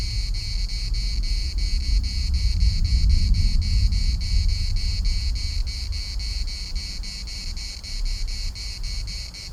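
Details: Chorus of cicadas in Larnaca's municipal park, a dense shrill buzz beating in rapid regular pulses, roughly three per second, throughout, with gusty wind rumbling underneath.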